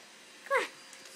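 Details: A male pug whining because he wants to eat, a noise likened to a monkey's: one brief high squealing whine with a stacked, slightly falling tone, in a quiet indoor room.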